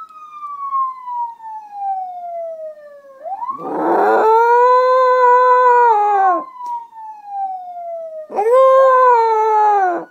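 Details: Female pet dog howling along with a siren, her habit with real police cars or sound effects; steady siren sweeps fall and rise while two sustained, strongly toned howls join in, each lasting about two seconds.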